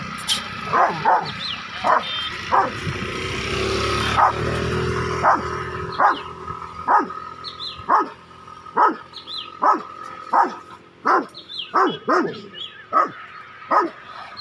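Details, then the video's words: Rottweiler named Tyson behaving aggressively toward a cow: loud, sharp barks repeated about once a second in a steady series, each dropping in pitch, over a constant hum and rumbling noise. "Rottweiler aggressive cow he is Tyson"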